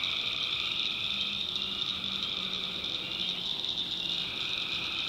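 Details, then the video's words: Tree frogs at night in a North Carolina swamp keep up a steady, pulsing high-pitched chorus, while a faint low tone repeats in short bursts beneath it. "Relaxing Swamp Sounds at Night - Frog Heaven - Frogs"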